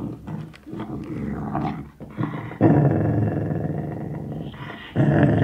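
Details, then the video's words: Sealyham Terrier growling over a bone indoors: low, rumbling growls in bursts, a long sustained growl from the middle onward, rising again at the end. "Sealyham Terrier Growling With Bone"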